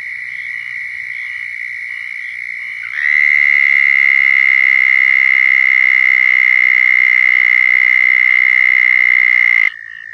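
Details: Southern toads calling in Florida, mating call: a fainter steady high trill swells into a loud, sustained buzzing trill from about three seconds, held unbroken for nearly seven seconds before cutting off.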